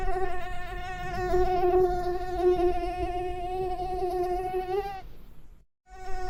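A mosquito's thin, steady whine hangs close by, wavering slightly in pitch before briefly cutting out.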